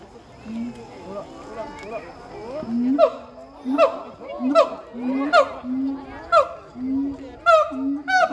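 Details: A siamang at Chiba Zoo gives loud, repeated whooping calls, low hoots rising into sharp, ringing barks, amplified by its inflated throat sac; such calls carry 3–4 km.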